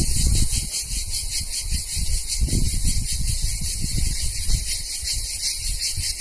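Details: Cicadas in summer at Vasilina, northern Euboea, Greece, buzz in a steady, shimmering high-pitched chorus over low wind rumble.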